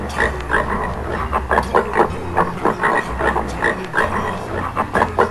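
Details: A Swedish wild boar gives rough, rapid grunts over a low steady hum.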